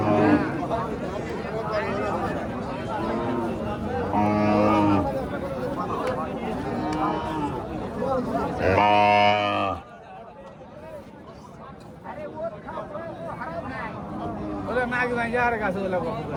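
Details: Friesian cow at a cattle market in Bangladesh, giving two long, low, droning moos with rich overtones, the second louder and rising slightly, amid steady chatter of people bargaining and talking nearby.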